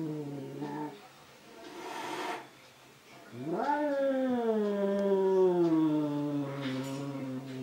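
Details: Angry cat confronting itself in a mirror gives long, wavering caterwauls, a brief moan, then a sharp upward swoop into a sustained, slowly falling howl lasting over four seconds, with faint rustling.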